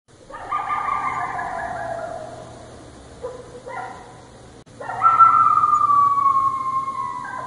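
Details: Coyote (Canis latrans), howl.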